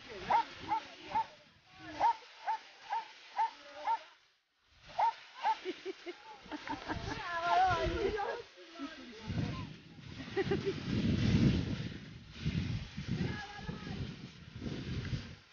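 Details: Dobermann at Dobermann Day, 14 September 2014, a gathering of the Italian Dobermann amateur association in Latina: a run of sharp, evenly spaced barks about twice a second, then people talking in Italian.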